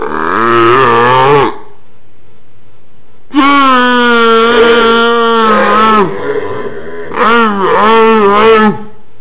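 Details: Pet dog that often makes a strange non-bark noise unprompted: long, tonal, moaning howl-like groans, one brief, then a sustained wavering one of nearly three seconds, then another with a dipping, warbling contour.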